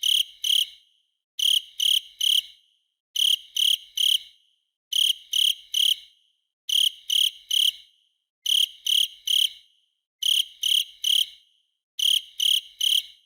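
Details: Cricket chirping in tight bursts of three to four high, ringing pulses, each burst repeated about every two seconds in a steady rhythm against a silent background.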